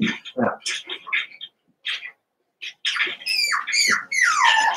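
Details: Young Cavalier King Charles Spaniels from two merged litters, eight puppies at play indoors: a few short squeaks, then drawn-out whines that slide downward, overlapping near the end amid scrabbling sounds.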